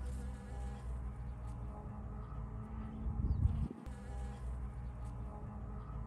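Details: A Western honey bee (Apis mellifera) on rapeseed flowers in spring gives a steady, low droning wing buzz that swells briefly, then settles back to a hum.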